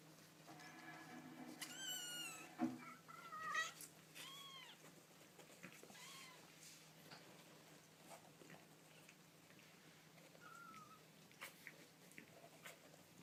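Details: Baby kittens making cute noises indoors: a cluster of short, thin, high-pitched mews with rising-falling arcs in the first seven seconds, then one faint mew later, with scattered soft clicks over a steady low hum.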